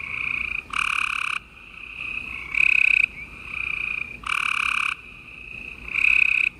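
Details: Several gray treefrogs trilling together at night in Houston, Texas, late April 2020; loud rattling bursts of roughly half a second to a second recur every couple of seconds over continuous quieter trills from more distant frogs.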